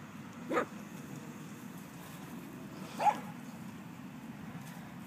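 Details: Moses, a young Doberman Pinscher pup, lets out two brief tonal yelps about two and a half seconds apart over a quiet indoor background hiss.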